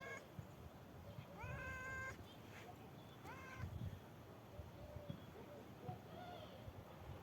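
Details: Black kitten, shown as a lover of heights, gives a few short rising meows around the middle of the recording, with low rumbling background noise throughout.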